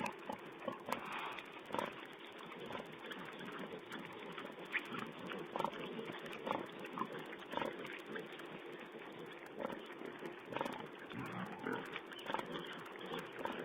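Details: Feeding wild boar piglets on a camera feed dated 16 April 2010, giving continuous low grunts and snuffling with occasional brief squeals, dull and muffled throughout.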